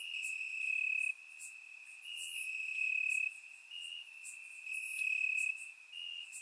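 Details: Night-time crickets in grass on a warm Bulgarian summer evening, surround microphone; a bright continuous trill interrupted by stronger chirping bursts about once a second, calm with no other animals.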